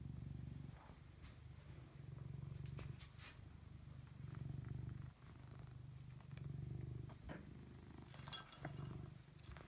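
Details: Domestic cat purring in a small room, a deep rhythmic rumble swelling and easing in long waves about every second and a half, with light clicks and a brief bright jingle near the end.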